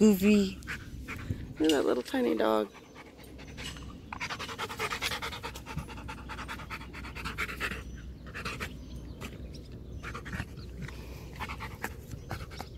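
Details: Macho, a pet Rottweiler, panting while playing fetch: a brief burst of human voice at the start, then a long run of soft, breathy, irregular panting puffs with no other clear sounds.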